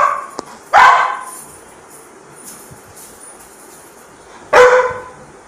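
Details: Labrador Retriever barking while asking for food: two loud, single deep woofs about four seconds apart, with quiet room sounds and a faint click in between.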